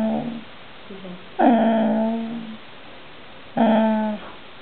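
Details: A female Bull Terrier complains about food, begging for cheese pie from the table, with drawn-out, wavering whines and moans that sound almost like talking.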